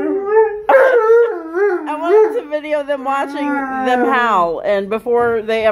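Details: Duet of a Malamute and a Blue Bay Shepherd, howling spontaneously together; two overlapping voices, one higher and one lower, slide and waver continuously, ending in a busier tangle of yips and howls.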